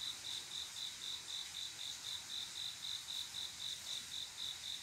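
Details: Cricket chirping through a quiet summer midnight, the male's call to a female for mating; crisp high pulses recur almost four times per second in a regular rhythm over faint background insect noise.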